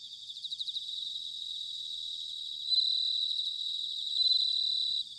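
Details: Bell crickets singing in autumn, recorded in Sanuki, Chiba, Japan with field recorders: dense high ringing trills layered from several insects, pulsing rapidly at first, then a steadier bright tone swelling louder twice near the end.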